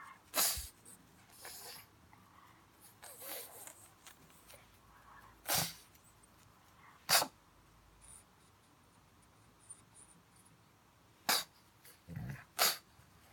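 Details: Funny pug noise: sharp, explosive sneeze-like snorts, sometimes singly and sometimes in quick pairs, separated by quiet stretches of soft snuffling breath.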